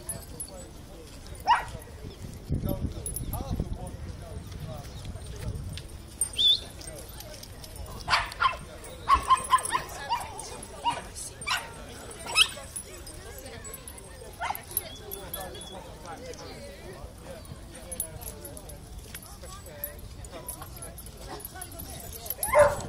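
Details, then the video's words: Dogs at Battersea Park give sharp, scattered barks and yips throughout, some in quick clusters, over steady outdoor background noise with people talking. "Battersea Park Dog Madness"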